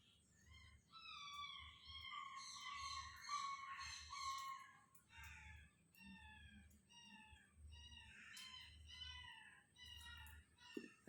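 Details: A newly acquired puppy nearby cries at night in high, wavering whines, repeated again and again over soft background music, keeping another young dog awake.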